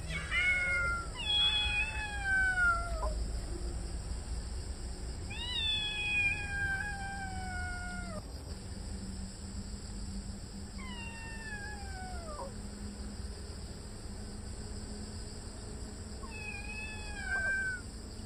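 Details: Young kitten Dodo guarding the yard it now claims as territory, crying loudly to drive off a yellow adult cat; long wavering yowls that slide downward, four separate bouts spaced several seconds apart, with a constant high electrical whine behind.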